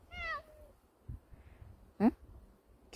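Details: Domestic cat, close to its owner, utters a clear meow that dips and trails off, then a brief, sharper rising call a second and a half later, over quiet indoor background with a person speaking nearby.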